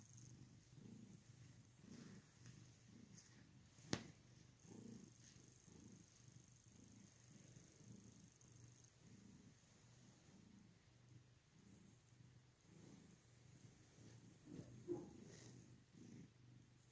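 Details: Domestic cat purring softly and steadily, a low rumbling hum that swells and fades in a regular breathing rhythm, roughly one cycle every second, with a faint high background tone and an occasional click.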